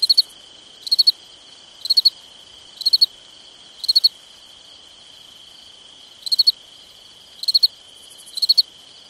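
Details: Summer night crickets give nine shrill chirps of three rapid pulses each, roughly one per second, pausing briefly midway. A continuous high hum runs throughout.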